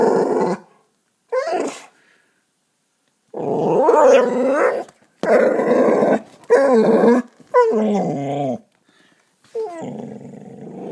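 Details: Growling domestic dog facing a cat in a backyard, the cat unconcerned; short growl bursts and sharp yips at first, then longer throaty growls with wavering pitch and brief pauses.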